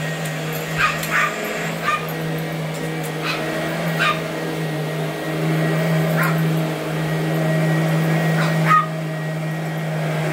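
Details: Boston Terrier Allie, aged 12 and 8.5 pounds, going after the vacuum: a few scattered sharp barks, clustered early then sparse, under a loud steady vacuum drone.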